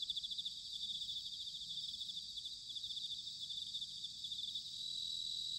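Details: Bell crickets singing in autumn, recorded in Sanuki, Chiba, Japan: a steady, shimmering high ringing made of rapid pulses from several insects at once, over a soft low rumble of background noise.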